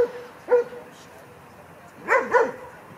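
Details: Franzi, a female Kleiner Münsterländer puppy aged 16 weeks, playing among mostly grown dogs at a play session. One sharp bark is followed after a pause by two quick, bright barks in close succession.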